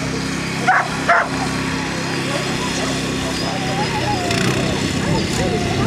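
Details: Two loud, abrupt barks close together near the start from Small Munsterlander Bodi competing in standard classes at the KCI Agility Festival 2010, followed by continuous background talk and a busy indoor crowd murmur.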